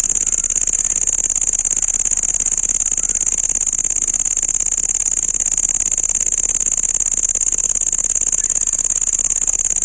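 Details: Shrill unbroken cricket trill, a single sustained high note with a fine rapid pulse, steady in pitch and loudness from start to finish, over faint background hiss.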